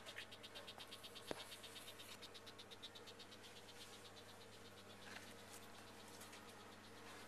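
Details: Frogs in a museum's indoor rainforest exhibit call in the background in a steady chorus of rapid, dry pulsed trills with a faint hum underneath.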